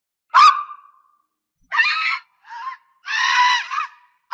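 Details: Fox calling with a sharp, shrill opening yelp, then longer rasping, drawn-out hoarse calls separated by short pauses, with no other sounds behind.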